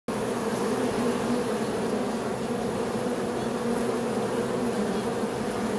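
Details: Honey bees humming in a steady, dense drone with bright bands near the low-middle pitches, unbroken and even in loudness throughout.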